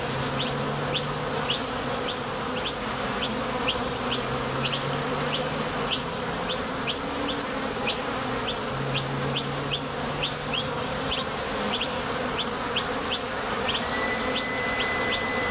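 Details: Bees coming and going at a Top Bar Hive entrance on nectar foraging trips make a continuous low droning hum. Bright, clipped high chirps run steadily through it, with a faint thin whistle near the end.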